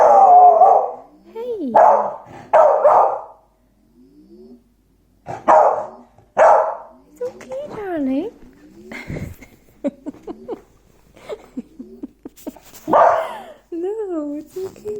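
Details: Darwin, an Irish beagle, gives loud barks and wavering, rising-and-falling howls, protesting the noise of a VanMoof bike's firmware update.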